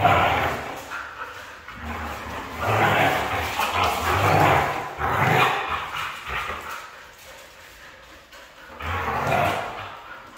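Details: Red female Siberian husky vocalizing in drawn-out, broad, voiced bursts that swell and fade, with a main run of calls in the middle and another near the end, and low grumbling undertones between them.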